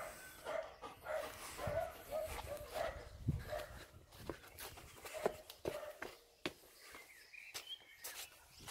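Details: Energetic German Shepherd Major at play in water after returning from a walk; a run of quick tonal whimpers in the first few seconds, then mostly splashes, paddling and footstep-like thuds.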